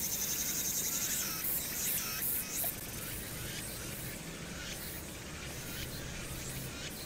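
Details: Cicadas singing on a summer night at Hwangnyeongsan, recorded 1 August 2019 against city noise: a dense, hissing high-pitched chorus, pulsing strongly for the first three seconds and then settling into a steadier drone over a low urban rumble.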